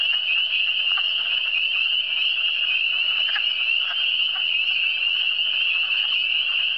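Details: Eastern Townships frog chorus: steady piercing trills from numerous frogs overlapping without pause, plus a few distinct lower croaks around one, three and a half and four seconds.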